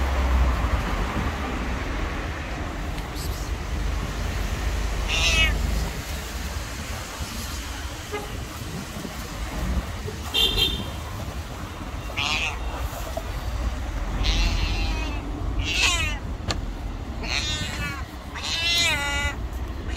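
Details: Stray white cat on the street meowing loudly from hunger while pressing against feet; repeated short to drawn-out meows, sparse at first, then coming quickly one after another toward the end, with constant low rumble behind.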